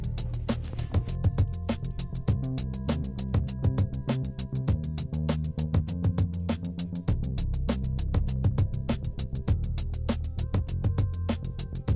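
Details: Upbeat background music with plucked guitar-like notes and a steady beat plays throughout, with no animal sounds.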